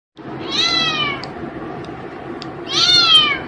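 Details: Pet cat playing with a wire gives two drawn-out harmonic meows, the first sliding gently downward, the second louder and shorter, in a quiet indoor room.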